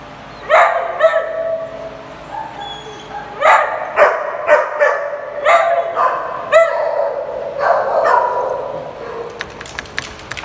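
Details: Playing dogs in a small group bark in uneven bursts, about two per second, with loud harmonic yaps and yelps separated by short gaps, then fading to faint clicking and movement.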